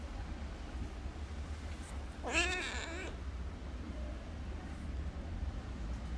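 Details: Sick stray kitten found in a park, needing medicine and care: a single drawn-out, wavering meow with rich harmonics lasting under a second, over a steady low hum and background noise.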